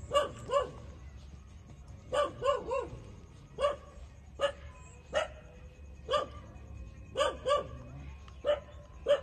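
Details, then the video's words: Twenty-seven-day-old puppies suckling milk from their mother give about sixteen brief high yips over nine seconds, often in quick pairs or triplets, with short pauses between bursts. "Cute puppy 27-days-old sucking mother for milks"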